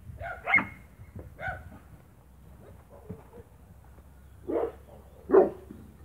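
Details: Spanish Mastiff on a farm, 1 October 2017: two sharp barks in the first second and a half, a quiet pause, then two more throaty barks near the end against faint background murmur.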